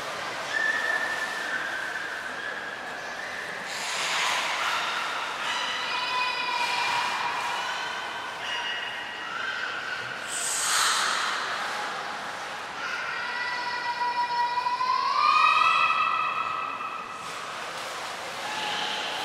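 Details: Belugas during an all-animal training session at Port of Nagoya Public Aquarium, 2 April 2023, giving a busy run of harmonic whistles and squeals, several overlapping, with one clear rising sweep near the end.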